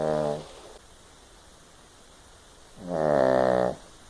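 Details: Kiley the Chihuahua asleep and snoring loudly: two harmonic, nasal rasping snores, one brief at the start and a longer one about three seconds later, separated by quiet room tone.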